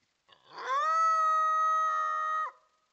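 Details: A coyote screams at a trail camera: one long, steady, tonal cry of about two seconds. It has a rough, rising onset, holds a flat pitch rich in overtones, then breaks off with a quick downward drop. No other sounds are heard.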